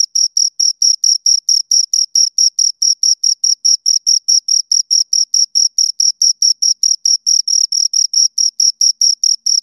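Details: Two crickets producing a continuous run of sharp, high-pitched chirps, evenly spaced and unchanging, close to the microphone with a silent background.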